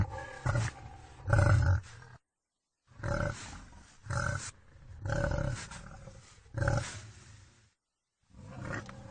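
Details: Wild boar heard in heavy, low, growling grunts, each burst about half a second to a second long, roughly six bursts with a silent pause near the middle and another near the end.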